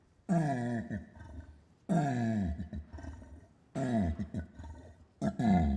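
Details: Orangutan growls and grunts: four rough, descending throaty bursts, the last one cut short, spaced about two seconds apart.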